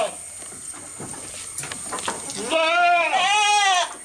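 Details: A goat feeding at close range. Soft rustling and ticking open the clip, then one loud, long, quavering bleat rises and falls over about one and a half seconds before breaking off.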